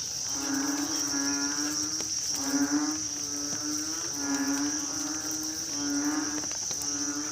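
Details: On a night of rain, narrow-mouthed frogs give deep, buzzy, nasal calls that each last about a second and a half. They repeat in a loose chorus over a constant shrill insect drone.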